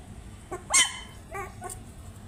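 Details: Puppies calling while trying to find their mother: a sharp high yelp followed by two shorter, fainter squeaky whimpers over quiet background hiss.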